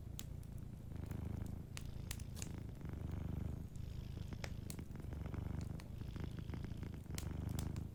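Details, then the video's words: Sleeping domestic cat purring softly beside a warm fireplace: a steady, low rumbling purr pulsing without a break, dotted with sharp crackles and pops from the burning fire. "Warm Fireplace Ambience with a Sleeping Cat 🐱💤Fireplace & Soft Purring"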